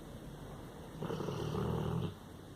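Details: Sleeping Labrador Retriever snoring indoors: one low, rough, rumbling breath lasting about a second, with soft background hiss before and after.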